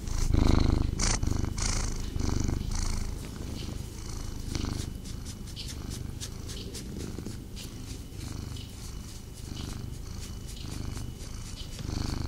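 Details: Snuggling male pet cat purring close up. Loud, deep purr with strong rhythmic pulses at the start, then a steadier rumble, with scattered rustling and brushing sounds throughout.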